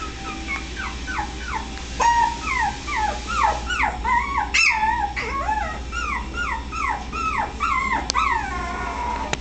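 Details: Miniature Pinscher puppies in California, several at once, whimpering steadily: a dense chorus of high, thin, falling whines that overlap and repeat without pause, with a few brief clicks and a low steady hum underneath.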